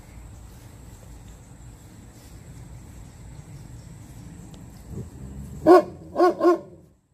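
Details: After several seconds of near silence and faint low hum, Koda, a 2.5-year-old German Shepherd in board-and-train at an Atlanta dog boot camp, lets out one sharp bark, then a close double bark.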